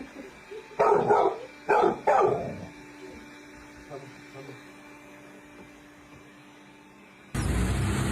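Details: Pet dog in a home moment, giving three short, sharp barks within the first three seconds, then quieter faint sounds before a loud burst of noise at the end; a person coaxes it to come through an opened door.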